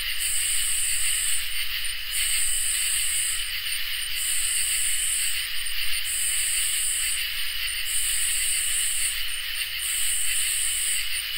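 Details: Crickets and katydids sing together on a summer night. Layered, unbroken high trills carry a piercing upper buzz that repeats in long bursts about every two seconds, separated by short stuttering clicks.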